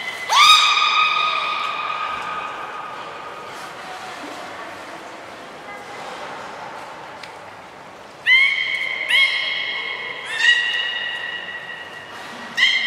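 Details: Training of belugas Gray, Mirai and Niko at Port of Nagoya Public Aquarium, 16 December 2018: a loud rising harmonic call, a quiet stretch, then a run of four abrupt calls, each climbing quickly and holding a steady pitch.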